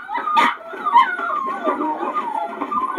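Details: Eight noisy puppies, one sharp yelp near the start followed by wavering, sliding whines and soft yips overlapping almost without pause.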